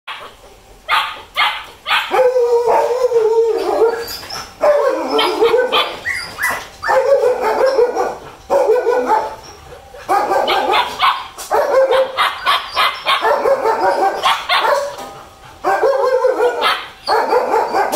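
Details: A 55-day-old male German Shepherd puppy gives repeated short yelps and whining barks in quick bursts.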